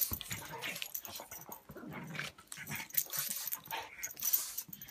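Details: Pug Buster wrestling with English mastiff Patton in play: a short rumbling growl in the middle among snorting, panting huffs and scrabbling noise throughout.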